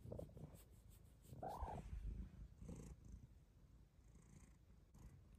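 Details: Bengal cat, a female, purring after lying down on request indoors on a snowy day; a low, steady rumbling purr runs throughout, with a woman speaking softly to her.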